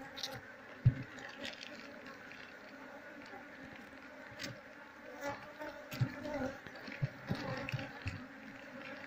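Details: Wild Asian honey bee (Apis cerana) colony nesting inside an active speaker box, opened for moving into a hive box; steady low droning hum with faint overtones, interrupted by sharp knocks and handling thuds.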